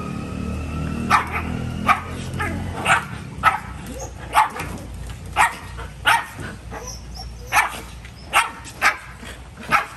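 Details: Dog barking repeatedly, about a dozen clear barks spaced under a second apart, over a low rumbling background that fades after the first few seconds.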